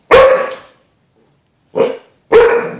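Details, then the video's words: Bruce Wayne, a pet dog, barks at his own reflection in the glass of a closet door as if at another dog: three loud, sharp barks, two close together after a pause of over a second, in an otherwise quiet room. "Bruce Wayne discussion with other dog"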